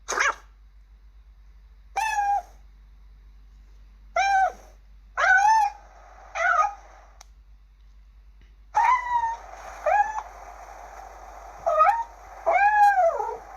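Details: Kittens meowing: about ten short, clear mews that arch up and down in pitch. Some are drawn out, and they come in uneven bursts a second or two apart over a faint steady hiss.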